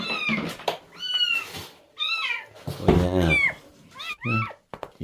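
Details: A stray cat being rescued meows insistently, a rapid string of short, high, bending calls, while a person murmurs reassurance in Korean partway through.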